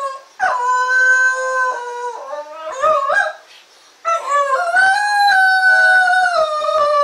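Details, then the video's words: Shaq the Shetland Sheepdog howling: loud, drawn-out tonal wails that step up and down in pitch, with a quavering middle section, a brief silent breath, then a long steady howl that slowly sinks. ""SHAQ"began howling (Shetland Sheepdog)遠吠え始めました！！"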